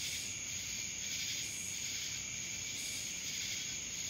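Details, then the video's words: Cicadas in Dallas, Georgia: a continuous, shrill, high-pitched buzzing drone with a steady pure tone on top, swelling slightly in pulses every second or so, over a soft background hiss. "Cicadas Black Screen Sounds"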